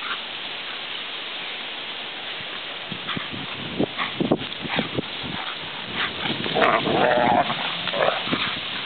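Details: Two female dogs running around trees and tables at play, one making growly play noises: rough bursts of grumbling growls and snorts, busier and louder in the second half over steady background hiss.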